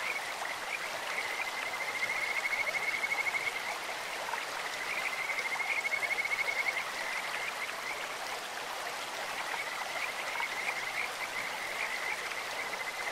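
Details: Kajika frogs calling in a stream: thin, high trilled notes in two longer bursts, set against constant rushing, splashing water that fills the background.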